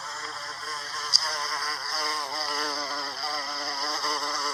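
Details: Buzzing of an American bumblebee, Bombus pensylvanicus, working Salvia clevelandii blossoms during pollination: a continuous wavering hum of layered tones, plus one sharp click near the start.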